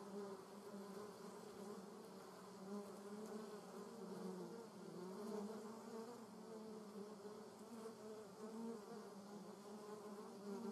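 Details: German wasp in a garden, droning steadily in flight; the buzzing pitch wavers and sags briefly near the middle before rising again, with a faint hiss of background noise throughout.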